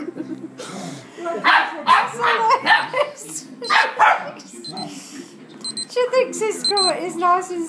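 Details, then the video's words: A four-year-old female dog and an eight-week-old puppy play fighting, the puppy's first play fight; rough, breathy growls and short barks burst out in clusters, then higher, tonal yips and whines near the end, with people talking in the background. "4yr old female dog and 8 week old puppy play fighting"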